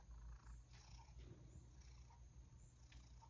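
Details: Low continuous purring from a rescued male cat being brushed after returning from outside, keen for a snack, the deep throbbing rumble steady throughout with light background noises and a few soft taps.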